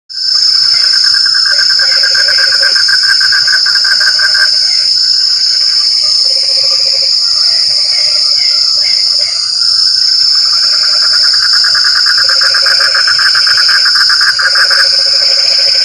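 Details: Frogs calling in the rain: a dense, rapid pulsed trill at mid pitch runs almost throughout, with lower short croaking notes dotted between, all over a steady high-pitched insect whine.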